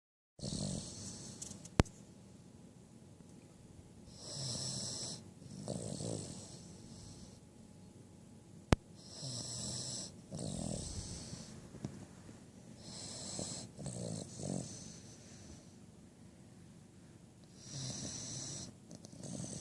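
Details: Belle, a five-month-old female Cavalier King Charles Spaniel puppy, snoring while asleep: rough, wheezy breaths in and out, each a drawn-out rasp, coming in slow irregular waves with two sharp clicks in the background.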